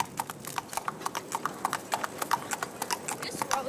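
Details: Bay Tennessee Walker ridden by a young rider on a trail ride in East Texas, Marshall: quick, crisp hoof clops, roughly three per second, with a person talking over the steps.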